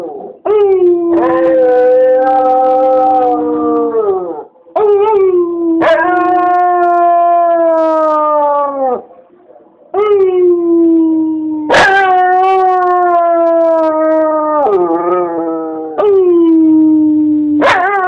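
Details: Copper the dog howls in drawn-out, steady tonal notes with rich overtones, each held several seconds then breaking off, with short sharp yips at the starts of some howls.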